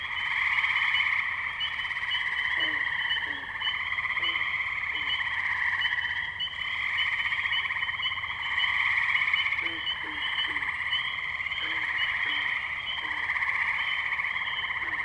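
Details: Tree frogs in a wetland in Firestone Park, Columbiana, Ohio, on 6 May 2023, recorded on a Zoom H2n: a dense, unbroken trilling chorus in several high layers that swells and fades, with scattered short lower croaks.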